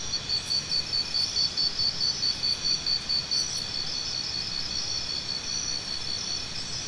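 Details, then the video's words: Cricket giving a steady series of bright, high chirps, about two per second for the first few seconds, then fading into a continuous high insect drone with faint low background rumble. "Cricket Sounds"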